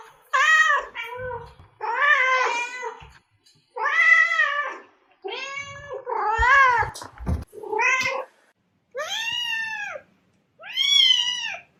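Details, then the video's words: Cat meowing, played to draw cats out: about nine clear arched meows, mostly rising then falling, some short and clipped, with faint knocks between calls. "Meows to ATTRACT Cats (Meow Sounds to Attract Cats). Cats Meowing Sound Effects. Kitten Sounds"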